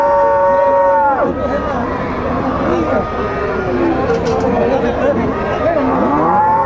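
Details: At a Salvadoran Tiangue cattle fair, a Gyr cow gives a strong, sustained harmonic moo that drops sharply after one second, followed by a murmur of other cattle, voices and general market noise, with another moo rising near the end.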